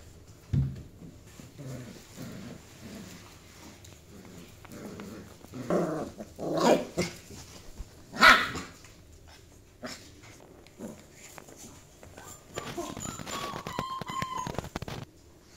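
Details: Border Collie during a biting tag game, with scattered short barks and growls among scuffling noise, a couple of louder sharp bursts midway, and a higher thin whining near the end.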